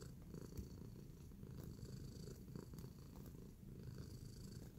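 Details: Domestic cat in a relaxed mood while kneading, purring in a steady low rumble that runs unbroken through the whole stretch, soft and close, with faint higher clicks and rustles above it.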